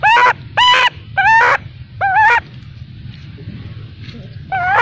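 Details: Crying baby macaque left by its mother gives four quavering, tonal wails close together, then falls quiet for about two seconds over soft background noise before another wail begins.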